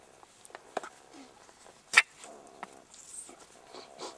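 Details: Young jackals in their burrow, under attack from a harassing meerkat, give short whimpering, whining calls with stacked harmonic bands, mixed with sharp clicks and one loud scuffing burst midway.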